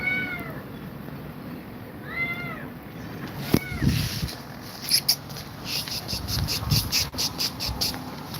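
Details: Cats meowing around Grumpy Cat, who is said to fear two mother cats: two or three bright arched meows in the first half, then rustling, scuffling thumps and movement noise take over.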